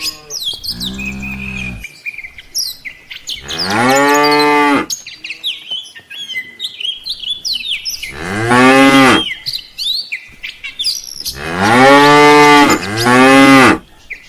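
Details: Tame cattle, a herd of dozens walking back to the farm pen in the afternoon in an Indonesian village, give long harmonic moos: a low one near the start, then four loud drawn-out calls, some rising then falling, with birds chirping between them.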